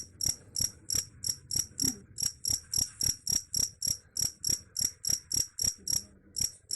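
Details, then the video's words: Cricket giving regular, piercing chirps at around three and a half per second, evenly spaced throughout, with faint low background noise. "Suara Jangkrik"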